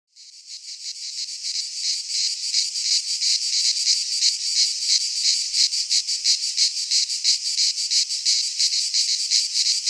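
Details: Cicadas singing in midsummer in a pine forest in Greece: a dense, continuous buzzing chorus, high and hissy, pulsing rapidly about three times a second, fading in at the start then holding steady.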